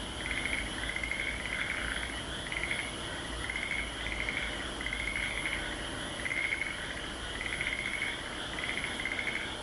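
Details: At Aso, a frog chorus of rhythmic pulsed trills, grouped in bursts with brief pauses, sounding against continuous high shrill background noise.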